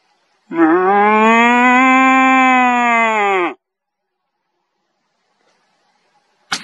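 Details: A deer gives one long, moaning rutting roar, steady and then falling away at the end, during the rut.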